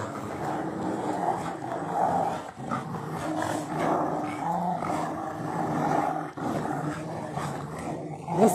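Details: Rottweilers in a hobby garden tugging at and tearing a tyre, giving low continuous rumbling growls, with a man calling out and speaking over them.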